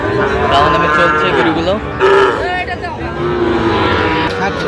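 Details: Sahiwal bull calves for sale at Aftabganj market, 16 August 2025: several long, low moos rising and falling, partly overlapping, amid loud crowd chatter, bargaining voices and engine noise.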